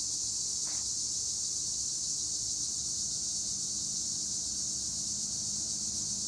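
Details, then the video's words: Tree crickets (Acheta assimilis) in olive trees at Güre, Edremit, Turkey: a steady, dense high-pitched shimmering chorus that runs without a break, with one brief fainter note near the start. "Tree cricket noise in Olive trees - acheta assimilis"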